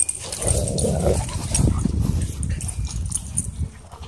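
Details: Rough play between a wolfdog and a husky at a dog park: a continuous low rumbling growl, steady for about four seconds, with a brief higher whine near the start and outdoor background noise.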